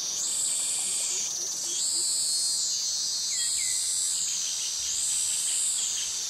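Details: High, piercing cicada song from Krabi jungle, Thailand, the mating call of males, pulsing up and down in slow waves about every one and a half seconds; faint chirps and crickets sound beneath it.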